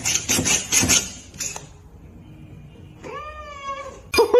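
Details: A pet cat lets out a brief meow near the end, rising slightly and then sliding down. It comes after scraping, clattering noises and just before a loud burst of laughter.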